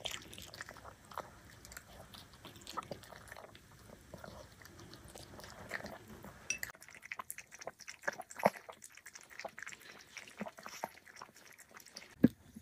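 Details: Black dog chewing a meal of chicken and vegetables in a small room, steady soft mastication and crunching with occasional sharper bites, a brief louder crunch near the end.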